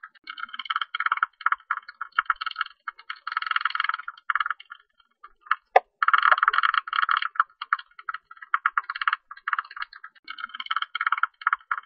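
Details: Tube-nosed bat, recorded in 2020, giving rapid buzzy pulse trains in clustered bursts, each a layered rasp of several tones, with a brief gap and a single sharp tick partway through.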